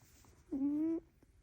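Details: Poppy, a pet prairie dog sleeping in on a lazy morning around 8:30, gives a single honky snore: a steady, slightly rising nasal tone lasting half a second, with a faint click afterwards in a quiet small room.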